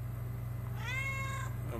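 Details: House cat talking back to its owner: one bright, even meow held for about half a second, ending in a brief softer sound, with constant low hum behind.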